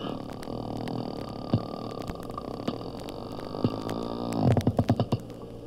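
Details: Porpoise noises replayed at half their original speed, so twice as long and lower pitched, from an oceanographic institute recording about echolocation; low, rumbling pulsed sounds, ending in a burst of five or six loud, evenly spaced knocks.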